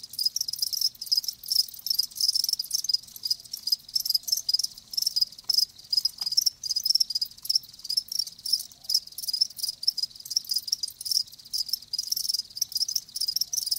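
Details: Live crickets chirping steadily in a dense chorus of high, rapid pulsed trills, the shrill buzzing continuing throughout with brief gaps and no other clear sounds.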